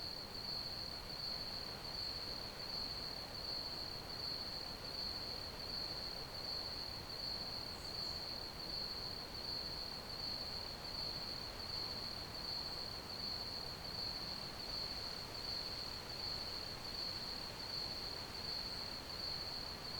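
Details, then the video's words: Crickets giving an unbroken high-pitched trill that pulses with very even rhythm for the whole stretch, backed by a dense, steady wash of hiss, with one faint high chirp near eight seconds. "Ambient Crickets Chirping Sounds"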